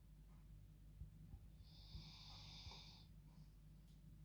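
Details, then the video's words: Dog snoring in her bed at bedtime, one drawn-out airy rasp of about a second and a half, followed by a faint shorter breath, with a low background hum and a few soft clicks. "Dog Snoring Like Humans"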